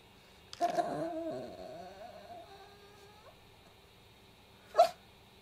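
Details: Pet Chihuahua Kohaku pleading for attention by the toy box, asking for a toy to be taken out: a high wavering whine that slides downward and fades, then after a pause one sharp yip.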